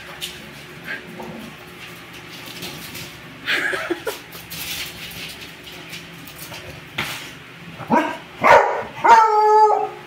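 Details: Pet dogs, an American bully and a young beagador mix, running zoomies indoors; long quiet stretches with scuffling, then a few high whimpering yips bunched near the end.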